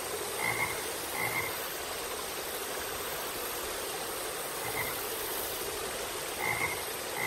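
Short frog croaks sound in irregular bursts over a steady hiss of background noise.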